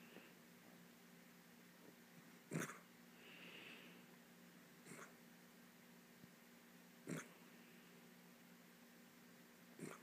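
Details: Miniature dachshund puppy snoring while asleep on a couch indoors: soft, low steady breathing drone with a few sharper snorts or sniffs spaced several seconds apart, in a quiet room.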